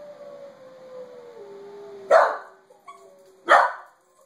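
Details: A Pembroke Welsh Corgi reacts to a played recording of wolves howling: a long, falling wolf howl is followed by two sharp, loud barks from the corgi.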